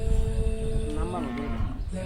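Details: Cattle at a rural village cow market ahead of Eid al-Adha 2024, where animals are bought and sold. A low, drawn-out moo bends downward through the middle, over a crowd rumble and a steady tonal hum.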